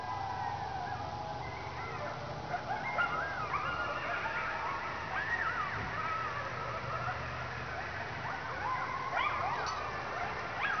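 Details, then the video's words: Coyote pack making noise at night in a dark remote area while a dog stands tense; distant chorus of quavering yips and howls layered over constant hiss. "A Pack Of Coyotes Making Noise In The Dark"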